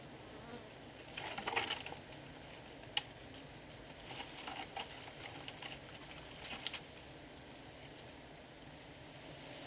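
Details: Giant honey bees, sought by rural honey hunters: a low, steady swarm hum beneath a broad hiss, with scattered sharp clicks and light tapping sounds throughout.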